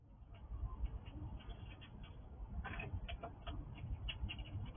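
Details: Wild squirrel visiting a house, eating cautiously: soft, crisp gnawing clicks come in quick irregular bursts, thickening in the second half, over a steady low rumble of background noise.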